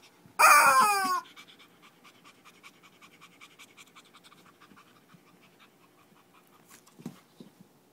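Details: Shih Tzu during a small fight in Kochi, Japan: one loud, high, strained yelp sliding downward and lasting under a second, followed by soft panting and faint rustling, then a brief sharp noise near the end.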